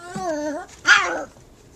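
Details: A puppy barking at a cat, three against one, gives a drawn-out, high whining yip followed by a sharper, louder bark.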